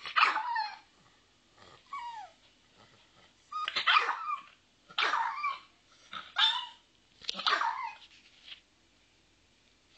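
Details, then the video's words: Little pet dog Lucky yips and barks in an uneven series over ten seconds, short high barks mixed with thin whiny squeaks and brief pauses between them. "Doesn't Lucky have the CUTEST little bark?"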